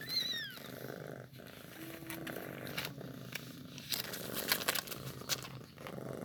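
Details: Newborn kitten during milk feeding: one thin, high mew at the start that rises and falls, followed by a steady low purr with clicking and rustling noises.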